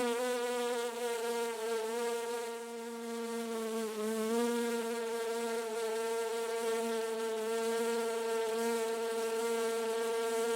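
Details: Constant buzzing of a bee in a garden, a soft, even hum with strong overtones. The pitch dips slightly and wobbles now and then but never stops, and the whole stretch is steady and uninterrupted.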